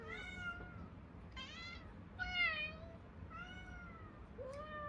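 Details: Hungry Munchkin cats calling indoors, with five clear, bright meows in quick succession, one louder and more drawn out near the middle.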